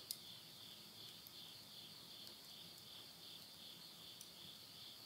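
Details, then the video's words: Insects chorus at midnight in the countryside of Yurihama, Tottori, Japan, late summer in September 2020: a steady, high, shimmering trill pulsing without pause, with occasional soft crackles and pops from wood burning in a stove. "the voice of insects"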